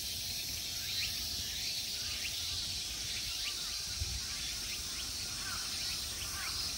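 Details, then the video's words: Summer insects in the temple park of Ikegami Honmonji, Tokyo, Japan: a dense, steady high-pitched hiss that never pauses, with faint short chirps scattered beneath and a low rumble of background noise. "Summer insect sounds."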